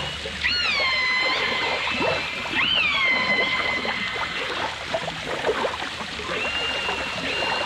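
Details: Dolphins and orcas from a 1989 stereo recording: high, harmonic-rich whistled calls that sweep upward and then hold a steady tone. Two long calls sound in the first three seconds and a fainter one near the end, over a constant hiss of underwater crackle.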